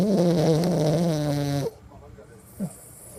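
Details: Sleeping toy poodle snoring indoors: one drawn-out, low, tonal snore lasting well over a second, then a sudden drop to quiet with a brief faint click.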